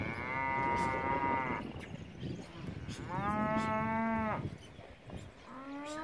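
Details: Fifty Angus calves, about 200 kg apiece, awaiting auction on 21 December in Junín; three separate moos, the first two long and strongly harmonic, about three seconds apart, the third cut off, with soft herd noise between.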